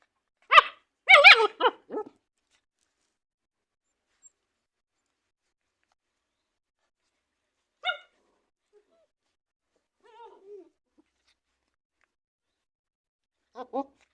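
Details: German Shepherd puppies playing and play-biting at the camera: a quick burst of sharp, high yapping barks in the first two seconds, then isolated single yips spaced several seconds apart with quiet in between.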